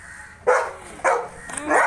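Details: Labrador named Bruno barking in the evening: three loud, sharp barks spaced roughly half a second apart, each rough and mid-pitched, with a low steady background hiss between them.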